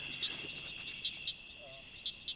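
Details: Southern cricket frog at a Georgia pond giving sharp, spaced clicks like two marbles clicking together, over a steady insect drone.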